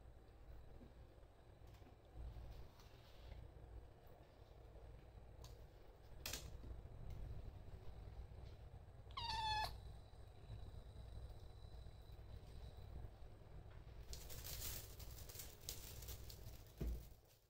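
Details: Kitten Gyoza stares intently at a teaser wand and lets out a single short, clear, high meow partway through. A long stretch of quiet low room hum surrounds it, broken by a few clicks and a rustling burst near the end.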